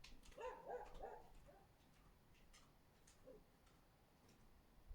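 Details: Husky barking under a window on 24 February 2024: a quick cluster of about four sharp, mid-pitched barks in the first second and a half, then near-quiet with faint background noise and one last bark at the end.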